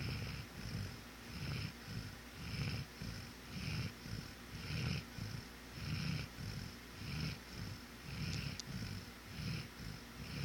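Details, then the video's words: Pet dog snoring rapidly in deep sleep at home; rhythmic low rasping breaths roughly once a second, each with a soft hissy overtone, steady and unbroken throughout. "The snoring of my dog"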